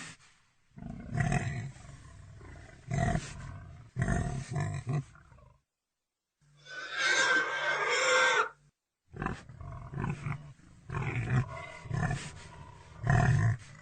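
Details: Pig grunting in deep, rasping bursts, several close together, then a drawn-out noisy squeal lasting about two seconds, followed by more irregular low grunts and snuffles.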